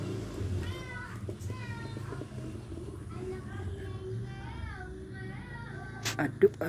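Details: Domestic cat eating foods its owner likes, giving a run of thin, high, arching meows, several in quick succession with short gaps, over soft background music and people talking nearby.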